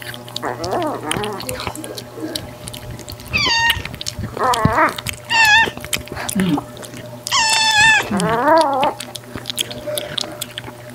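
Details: Margaret, a rescued white female cat with orange markings on her head and tail, once a shy stray living outdoors: a series of falling, harmonic meows in short bursts, some rising then dropping, over a steady low hum.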